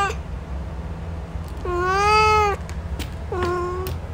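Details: Male cat giving two drawn-out meows, the first long and steady with a slight rise and fall, the second shorter, over a low steady background hum.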